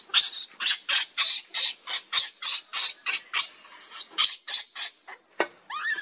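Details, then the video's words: Lucie, a baby monkey, cries while begging for its mother's milk and being turned away: loud, shrill, evenly repeated squeals, about three per second, ending with a brief rising whine. "Lucie Beg Mom's Milk But Mom Reject Hardly I Lovely Baby Monkey"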